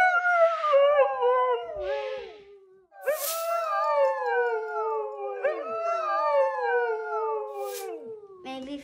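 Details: Indoor female Siberian Husky, stuck at home under a shelter-in-place order, 'talks' about wanting to go to the dog park: a series of drawn-out, wavering howls that slide downward in pitch, about four in a row, with brief breathy noises between them.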